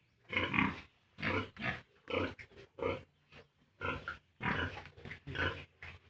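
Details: A pig on a farm, with piglets 32 days from weaning off the sow, grunts steadily. The grunts are loud, rasping and come roughly every half second to second, with short pauses between groups.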